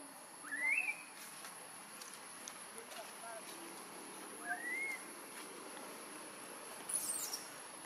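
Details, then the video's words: Crying loudly for milk, a newborn baby macaque from a Siem Reap Province troop, held away by Tarzanna for a long time. Two rising, whistle-like wails are about four seconds apart, with a brief high crackle afterwards and constant background hiss. "Newborn Baby Monkey Crying Loudly Hungry Milk"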